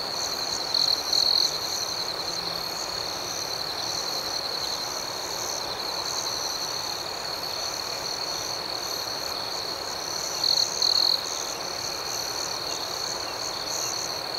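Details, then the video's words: Crickets at night: a steady, high-pitched continuous trill with a fainter pulsing chorus above it, broken by two brief louder double chirps near the start and again after ten seconds. The background is an even hiss. "Soothing Cricket Sounds"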